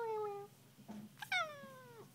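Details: Black and white pet cat indoors, chattering back in a talking exchange: a short falling meow, a pause, then a longer meow that starts high and slides steadily downward, with a person's voice replying.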